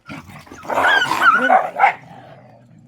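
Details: Street dog kept with other street dogs and a puppy: one loud, strained whining bark lasting about a second, wavering up and down in pitch, then a shorter yelping note, with faint background noise.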